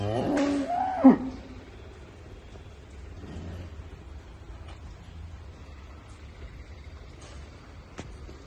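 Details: A Murrah buffalo on a dairy farm in Karnal, India, gives one loud, nasal moo about a second long that rises then drops sharply, followed by quiet farmyard background with faint clicks and distant voices.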